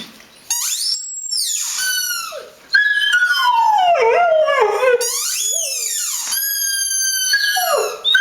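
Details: Dog howling: drawn-out wavering howls with rich harmonics, sliding up then falling slowly, several long notes with short breaks between them and a lower whining passage in the middle.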